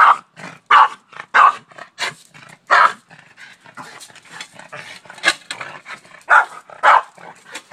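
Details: Oreo, a Boston Terrier, barking at a shovel as he does daily; a fast run of sharp barks in the first three seconds, then softer huffing and scuffling before a few more loud barks near the end.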